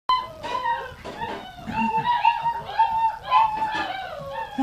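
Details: Dogs at gruel feeding time in a kitchen on January 20th, 2017, giving loud, drawn-out whining howls that hold a steady pitch with ringing overtones. Several voices overlap, with people talking and music in the background.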